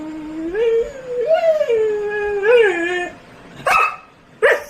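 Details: Pet Labrador Retriever howling as it argues back at its owner after turning on a water tap; long wavering howls with rising and falling pitch, followed by two short sharp yips, a woman scolding nearby.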